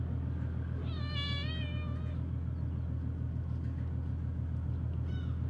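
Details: Stray mother cat scolding her overly playful calico kitten: one drawn-out, wavering meow rich in overtones, then a faint short call near the end, over a steady low engine-like rumble.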